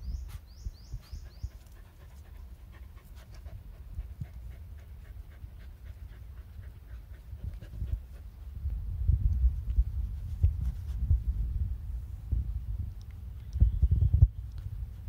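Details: Mother dog Báo Đốm playing with her last puppy before the puppy leaves for its new owner; rapid, breathy panting at roughly three breaths per second, growing louder and rougher in the second half, with a few thin high chirps near the start.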